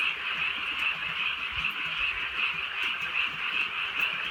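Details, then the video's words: Countryside frogs croaking at night in gentle rain, their chorus pulsing in regular beats about twice a second over a constant shimmering trill, with scattered raindrop taps and faint low rumbles. "개구리 소리"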